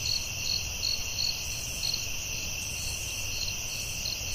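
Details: Crickets calling at night in a forest: a steady high shrill band with rhythmic bright pulses repeating about two to three times a second, over a faint low rumble of background noise.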